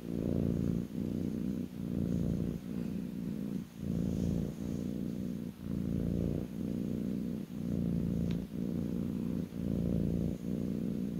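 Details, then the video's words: A lap-sitting kitten produces a low, even, vibrating purr, rising and falling about once a second through the clip with brief soft gaps and one small tick. "kitten purring"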